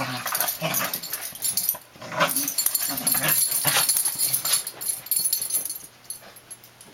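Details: Two young Dandie Dinmont Terrier pups, Dash and his cousin Patty, aged three and two, playing together; rough, breathy growls and scuffling bursts come in quick runs, with short yips and a faint human voice.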